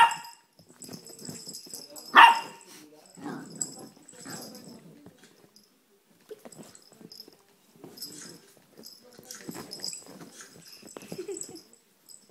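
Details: Nine-month-old male Chihuahua Blue Note plays on the couch, barking only during play, recorded on a phone. One sudden, shrill bark rings out early, followed by quiet stretches of muffled scuffling, light thumps and a faint high hiss.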